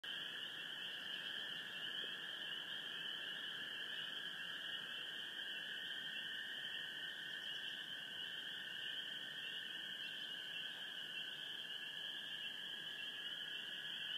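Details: Gray treefrogs and spring peepers calling together on a full moon night in Sheboygan County, Wisconsin: a dense, unbroken chorus forming two steady high bands, a shrill upper layer over a lower trilling layer, with no pauses throughout.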